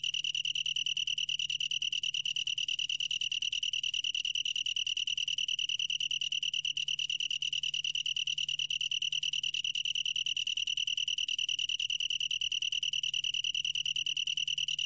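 A long-tailed tree cricket sings a steady, high, pure-toned trill without pause.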